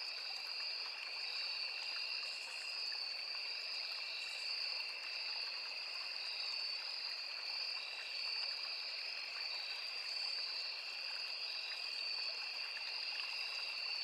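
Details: Crickets, cicadas and other insects in a forest by a small river keep up a long, even, piercing trill on two high notes, with occasional brief higher buzzes and a steady soft stream in the background.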